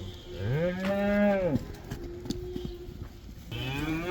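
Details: Black cows in the Netherlands let out to pasture for the koeiendans, the cow dance: one rising, sustained moo lasting about a second, a pause with faint knocks, then the start of another moo.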